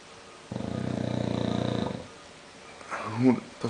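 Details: English bulldog Conrad snoring while sleeping: a short rasping, pulsed snore of about one and a half seconds, then a pause and a brief rising vocal sound at the end.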